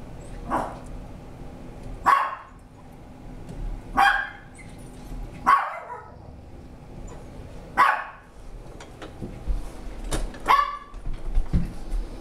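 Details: Scout, a 10-year-old female Papillon, initiating play with Marvin, a 15-month-old Landseer Newfoundland foster dog. Six sharp, bright barks come roughly every two seconds, each short and harmonic-rich, with faint shuffling and thumps between them.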